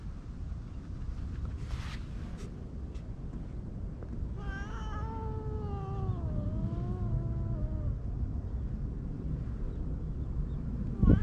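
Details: Stray cats under a bench outdoors, stroked by hand while other cats gather; two drawn-out, wavering meows, each sliding down in pitch and lasting about two seconds, over a steady low wind rumble.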